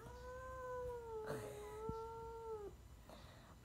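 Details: Siamese cat upset after being bathed gives a long, steady, moaning yowl held for over two seconds, then dipping at the end. Soft rustling and a faint background hiss accompany it.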